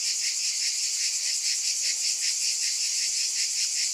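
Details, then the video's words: Shrill cicada drone that swells and fades in rapid rhythmic beats, continuous and unbroken across the whole stretch. "Scintillating Cicadas"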